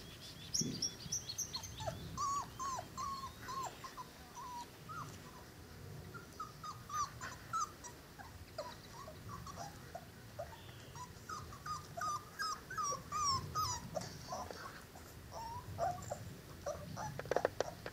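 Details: A litter of Cane Corso puppies, five weeks old, offspring of Zola and Ziko, whimper almost continuously: many short rising and falling squeaky cries overlapping in quick irregular runs, with a few sharper yips near the end.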